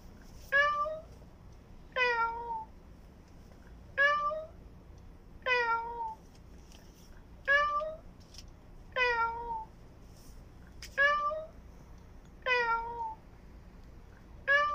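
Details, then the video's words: Newborn kitten crying from hunger, giving a steady series of about ten short, downward-sliding harmonic meows, one roughly every 1.5 seconds, insistent and evenly paced, in a quiet indoor space. "KITTEN NEWBORN MEOWING HUNGRY"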